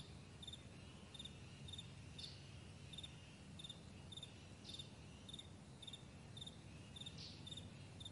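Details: Meadow crickets at morning, thin high chirps in small clusters recurring every half second or so, with occasional brief swishing sounds and a low ambient drone beneath.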